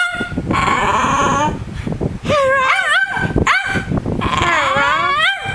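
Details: Mr Bean, a pet dog coached to say 'hello', gives long wavering whine-howls that swoop up and down in pitch in three drawn-out bursts, with brief human words between and a fan humming in the background.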